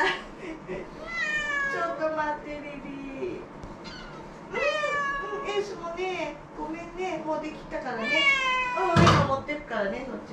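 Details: ['Indoor house cats, a pair of former rescues, pestering for their meal with repeated long, bending meows, some rising then sliding down, overlapping at times, plus a sharp knock near the end.']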